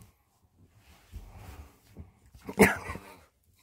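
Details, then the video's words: Yorkshire Terrier named Choco during an excited indoor crazy-time burst: a low grumbling growl for about a second, a short pause, then one sharp, loud bark followed by a brief rough trailing growl. "요키강아지♡ Crazy time"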